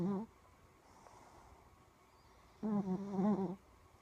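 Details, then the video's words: Stella, a tired shih tzu puppy, snoring while asleep: a brief tonal snore at the start, then a quiet gap, then a longer harmonic, slightly wavering snore of about a second. "Tired Puppy Snoring"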